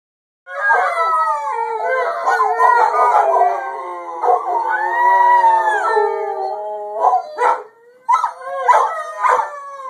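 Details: Rhodesian Ridgebacks howling together, several long overlapping wavering howls that rise and fall, sustained for about six seconds, then breaking into shorter yelping howl fragments toward the end.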